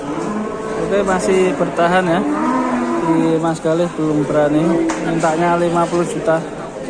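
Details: Large cattle being unloaded in Indonesia, giving deep, drawn-out harmonic moos that overlap and shift in pitch, several calls following one another across seven seconds.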